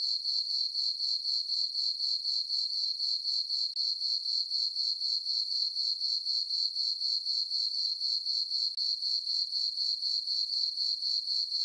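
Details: On a farm meadow on a summer night beneath a full moon, crickets keep up an unbroken, piercing high chirr that beats evenly around four times each second, the only sound present.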